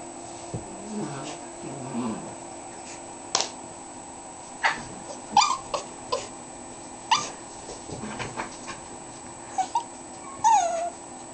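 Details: Andy, a 12-week-old dog, gives scattered short high yips and thin whimpers, brief sharp bursts spaced irregularly over a quiet indoor background, with a few rising whiny squeals near the end.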